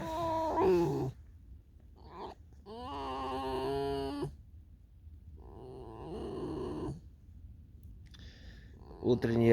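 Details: Tame fox out in falling snow on a field in the morning, giving drawn-out, wavering, whiny harmonic calls in several bursts with silent gaps, with a person speaking quietly and soft music.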